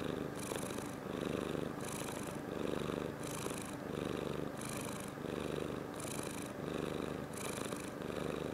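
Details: An indoor house cat, recorded 21 February 2018 while interacting with its owner, purrs steadily and softly. The rumbling comes in rhythmic swells, roughly one breath cycle every second, close to the microphone with no other clear sounds.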